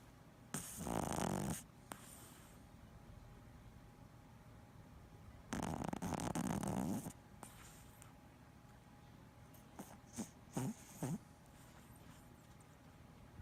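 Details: A sleeping male Boston Terrier snores in two long, rattling bursts, followed by a few short snorts.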